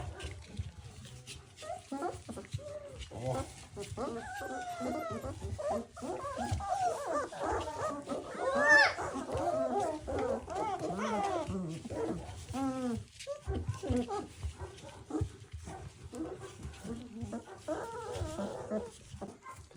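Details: Three-week-old puppies staggering around after feeding, giving a dense run of short, squeaky whimpers and whines that rise and fall, many overlapping and repeated almost without pause, over a low background rumble.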